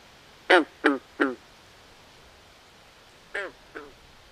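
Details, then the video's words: Nighttime swamp frogs give a rapid burst of three loud, harmonic croaks, then after a pause two more, the last one softer, all over faint steady ambient hiss. "Natural Ambient Sounds Of Frogs At Night"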